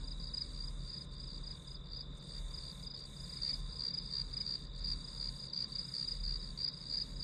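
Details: Grass insects used as white noise while studying: an unbroken run of high, rapid chirps, roughly three pulses a second, layered over a steady high whine and a soft low rumble.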